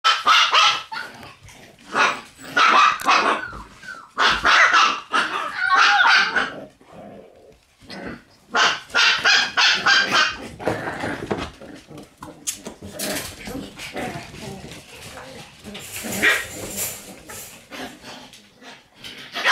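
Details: Red Shiba Inu female puppy, born 26 August, giving rapid bursts of sharp, high yapping barks in quick runs with brief pauses, broadband and noisy, later fading into softer rustling.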